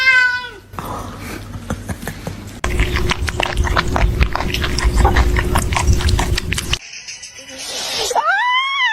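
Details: Pet cat from a humorous compilation, first giving a brief falling meow, then a stretch of dense clattering noise with a steady background tone, and finally a longer rising-and-falling meow.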